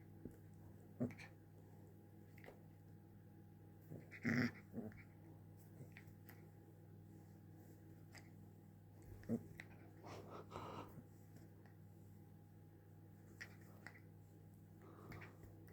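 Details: Little puppy wanting to play with its owner indoors gives scattered short, gruff growls and snorts, loudest around four seconds and again near ten seconds, between soft clicks over a low steady household hum.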